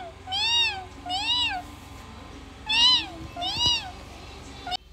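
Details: Domestic cat meowing: four drawn-out, arched meows that rise and fall in pitch, in two pairs spaced about a second apart, over a steady low background hum indoors.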